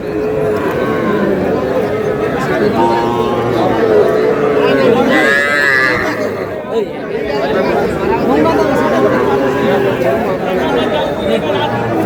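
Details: Young bull calves for sale at a Madaripur cattle market in Bangladesh, 28 April, utter short wavering moos early on. Dense crowd chatter and shouted bargaining nearly bury them.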